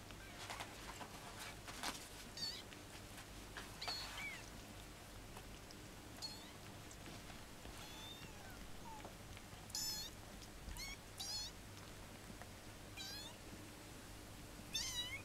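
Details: Fifteen-day-old kittens giving thin, high mews scattered every second or two, each a brief arched squeak, set against a steady low hum and soft rustling.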